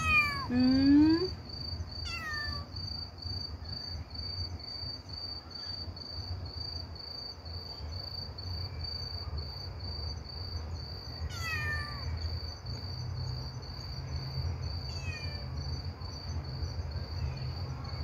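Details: Kitten that lost its mother, crying and calling to people through the night: a few loud, falling meows spaced several seconds apart over a steady high insect-like whine and low background hum.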